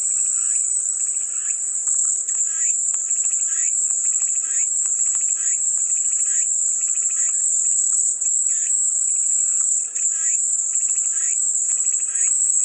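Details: A continuous shrill cicada drone holds level throughout, while lower pulsed chirping bursts recur every second or so, over a faint steady hum.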